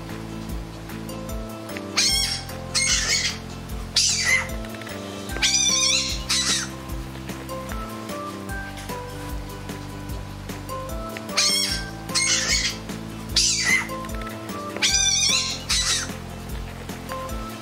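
A fennec fox gives high, wavering squeals in short bursts over steady background music.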